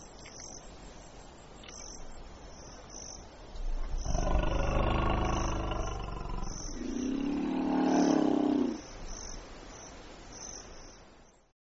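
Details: African elephant, Loxodonta africana; a loud rough blast of about two seconds, then a tonal, level trumpeting call near its end, with a steady high insect-like chirping pulsing throughout.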